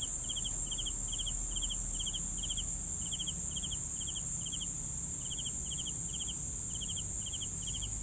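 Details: Crisp, pulsed cricket chirps repeat about every half second, with a short pause midway, above a constant high-pitched insect drone and quiet low noise.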